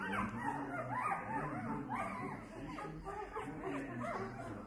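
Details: Young Bernese Mountain Dog puppies from a litter of four, two males and two females born 12 December 2022; rising and falling whiny squeals repeat rapidly and overlap, with a steady low hum beneath.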